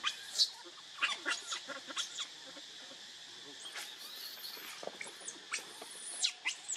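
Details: Hungry baby monkey Leo cries to its mother for milk: bursts of high, sharp shrieks and squeaky whines come in uneven clusters with brief pauses, backed by a constant hiss.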